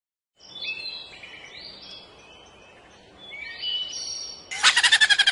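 A ground squirrel gives high sliding whistles, then a rapid burst of harsh, pulsed chattering like a laugh.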